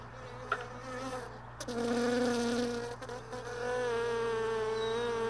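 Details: Honey bees buzzing early in the morning by hive boxes and extracted supers left overnight in a truck bed. A bee passes near with a rich, rising and falling buzz, then holds a steady close drone, with a few clicks and knocks.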